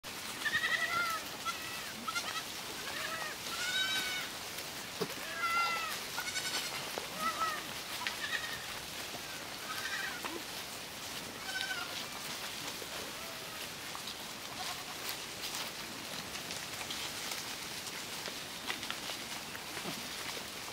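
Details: Miniature goat kids at pasture on a French farm, playing and frolicking; several short, high, wavering bleats in the first eight seconds, then fainter scattered bleats over a steady background hiss.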